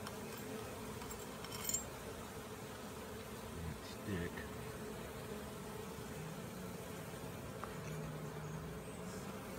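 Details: Caught honey bee swarm marching into their hive: a dense, steady low hum of many bees throughout, with faint brief clicks and rustles.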